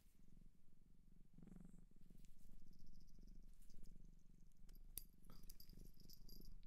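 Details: Purring cat adopted from a shelter in Japan, recorded close for ASMR: continuous deep vibrating rumble that swells and fades with each breath, with light tapping and rustling noises.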